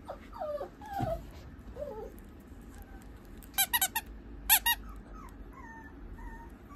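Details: Female Pomeranian puppy with a few short squeaky whines and whimpers, plus several sharp clicking or tapping bursts near the middle, over a low steady room hum.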